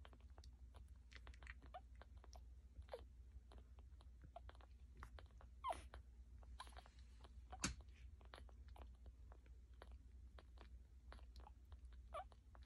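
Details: Newborn pups, a day old, feeding from Hilda: rapid moist smacking and sucking clicks run continuously, broken by a couple of short, thin squeaks about halfway and again later, all over a constant low hum.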